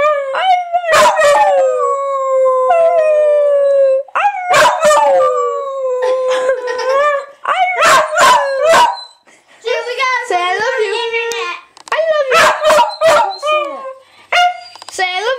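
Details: Honey, a pet dog, howls back when a person keeps urging "say I love you". Drawn-out, sliding howls with yodel-like breaks come in phrases of a few seconds, separated by short gaps with human voices.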